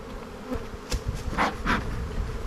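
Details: Honey bees buzzing at the black hive during a spring buildup inspection in an Australian bee yard, 7-9-22: a low steady hum with a few sharp clicks and knocks from handling the frames.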